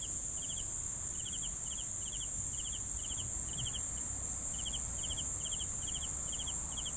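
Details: Crickets chirping in quick pulsed bursts, steady rhythm with a brief pause near the middle, layered over a continuous piercing high trill.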